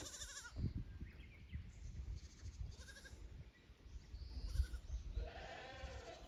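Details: Young goats from the lower pasture exploring the upper pasture at Yoshigake goat farm, 15 May 2024. A short wavering bleat sounds at the start, with fainter bleats later, against steady low-pitched rumble and handling noise.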